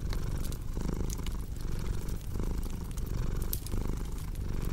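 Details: Steady low purring of a house cat, rhythmically swelling with its breathing, accompanied by bright crackles and pops from a burning fireplace.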